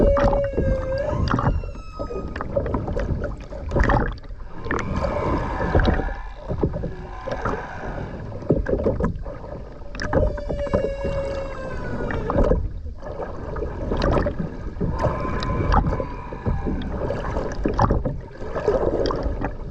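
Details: Underwater humpback whale song from the Ogasawara Islands, Tokyo, Japan, 29 January 2022, filmed by a skin diver: repeated steady tonal moans with harmonic upper whistles recurring every several seconds over heavy bubbling, gurgling water noise.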